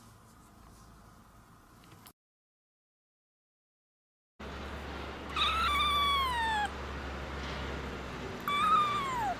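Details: After two days abandoned in -11°C snow, a stray kitten gives two loud, wavering, descending meows over a steady low hum, the recording briefly dropping to silence beforehand.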